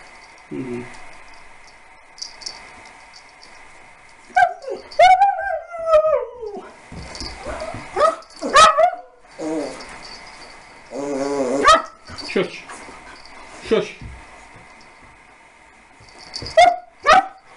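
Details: A puppy named Harley, 15 weeks old, meets Lasky, a Siberian Husky, scared at first then playing together; high whimpering yips and whines rise and fall in bursts, with sharp barks near the end.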